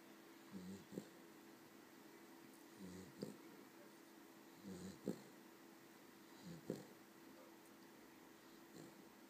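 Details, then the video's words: Abigail, a Cavalier King Charles Spaniel, sleeps after a long hard day; soft rumbling snores each ending in a sharp snort, repeating roughly every two seconds over a constant indoor hum. "Snoring Cavalier"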